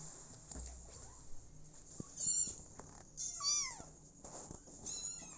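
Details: Small kittens that lost their mother, starting life with a foster mother cat: several high, wavering meows in quick succession, one bending downward, mixed with soft tapping and a faint background hum.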